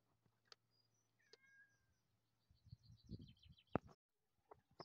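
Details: A house cat that keeps wanting to eat utters a short wavering meow early on, then soft knocks, a sharp bang and a run of high chirping sounds follow.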